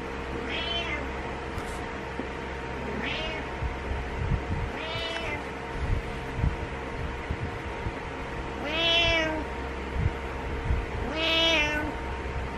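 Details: Cat or kitten giving five arched meows spaced a few seconds apart, the first ones faint and thin, the last two stronger and bent downward at the end, over constant room hum and background rustling.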